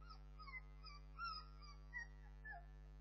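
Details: Several soft, overlapping squeaky whimpers from Bernese Mountain Dog puppies, short tonal chirps rising and falling in pitch throughout, quiet against a constant low mains hum.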